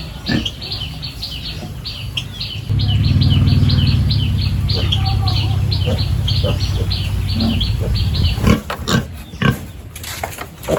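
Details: Farm pigs at morning feeding time in a village, a loud, sustained low grunting chorus swelling for about six seconds, with small birds chirping rapidly above and sharp clanks from pen cleaning toward the end.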